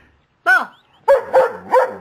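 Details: Pet dog 'talking' to its owner in the morning, producing one loud bark-yowl followed by three rapid, harmonic, wavering howl-barks in close succession, each rising and then falling.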